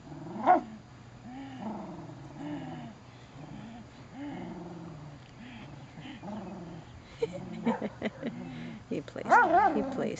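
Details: Bailey the Beagle in rough play with his Poppa: a series of low, rumbling growls in short bursts, building into louder barks and yips at the end, over a faint steady hum.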